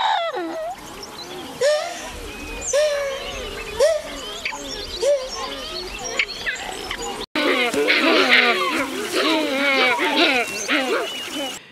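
Geladas give strikingly speech-like, warbling calls with rising and falling tones, overlapping into a busy chorus.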